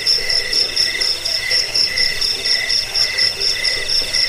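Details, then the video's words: Cricket sound meant for driving off rats, aiding sleep and tutoring caged birds: continuous high, ringing pulses swelling in rhythmic bursts roughly twice per second over a quieter second tone. "Suara jangkik pengusir tikus pengantar tidur"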